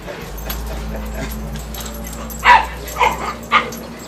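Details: A Chihuahua trained to herd sheep lets out three short, sharp yipping barks in quick succession over a steady low background hum.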